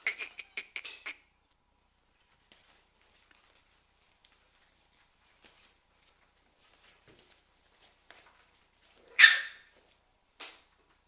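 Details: Solid fawn female Miniature Bull Terrier puppy, six weeks old, indoors: a quick run of short yaps at the start, then near silence, then one louder harsh bark and a softer final yelp.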